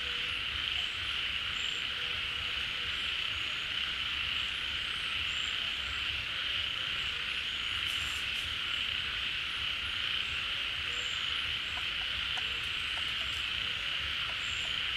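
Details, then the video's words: A crowd of frogs chorusing at a pond as water returns in the rainy season, emerging from burrows and hiding places; a dense, steady, unbroken high-pitched drone fills the scene, with faint whistles and scattered ticks above it. "เสียงฝูงกบร้อง Relaxing Sounds of Frogs, カエルの音, 青蛙的聲音"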